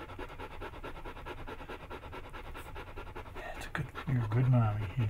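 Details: Hannah, a Bernese Mountain Dog, giving birth at home to the first of nine puppies on July 16, 2013, pants in quick breathy bursts, roughly two to three per second, before a person starts speaking over her.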